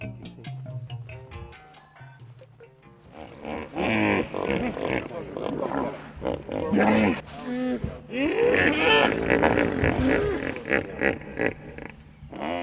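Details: A common hippopotamus on the Luangwa River, seen from the dried riverbed, lets out loud, rough, pulsing honks and groans after a man's voice, with music underneath; hippos do much of their calling underwater, projecting sound both above and below.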